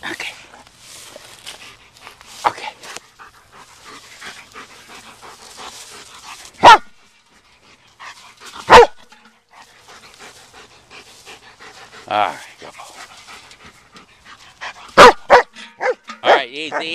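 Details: Black German Shepherd dog at play with a ball, panting steadily with a few sharp, loud barks spaced several seconds apart, a cluster near the end, while a man gives calm commands like "easy" and "hold it."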